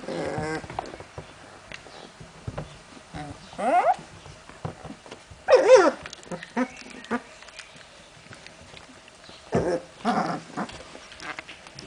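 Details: Puppies of Memphis-true, Olga and Scarko de la Betoule at play, giving scattered rising yelps and throaty growl bursts separated by quiet stretches, with soft scuffling and rustling between calls.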